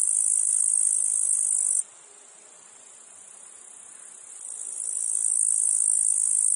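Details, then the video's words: Meadow field insect chorus with cicadas and flies: a continuous piercing high-pitched drone, loud at first, suddenly quieter for a few seconds, then gradually building back to full strength. "Meadow field insects cicadas flies"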